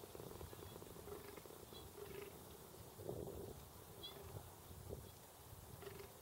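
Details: Fallow deer calling: a steady series of low, hoarse groans, roughly one each second, each with a droning tonal core, with a few faint bird chirps high in the background.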